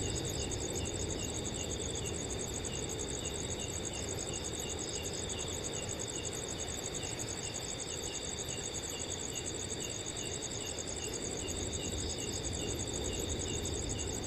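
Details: Several crickets calling together at night in a quiet summer forest, a continuous shimmering chorus of fast, even high-pitched pulses in layered tones, with a gentle wind murmuring low in the background.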